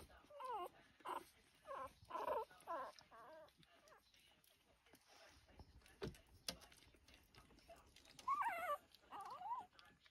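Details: Two-week-old Lancashire Heeler puppies rushing to feed at breakfast, several pups giving thin, wavering, high-pitched squeals and whimpers in short bursts, with quiet shuffling between calls.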